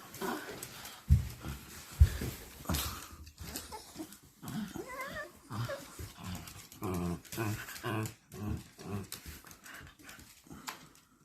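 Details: Shiba Inu at home greeting its owner on arrival, making low grumbling, throaty vocal sounds mixed with thumps and rustling movement, plus occasional higher whiny notes over about eleven seconds.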